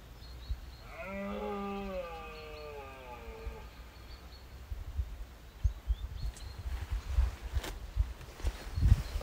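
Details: Red deer stag roaring in the rut on Exmoor, 2023, at first light among hinds while rival younger stags and prickets mob the dominant stag; a single drawn-out, deep, wavering roar lasting about three seconds, then steady wind buffeting.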